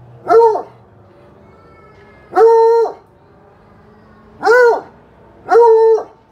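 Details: Bluetick Coonhound baying: four long, drawn-out harmonic bays, each about half a second, spaced roughly every one to two seconds, with a quiet background between them.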